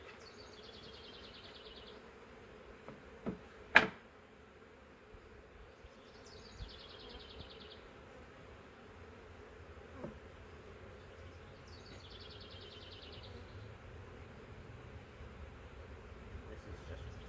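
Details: Huge swarm of honey bees from a three-year-old wild woodland hive, caught in a swarm trap and transferred to a new hive: continuous droning hum, a sharp knock near the start, and three bursts of a bird's high, rapidly repeated chirps.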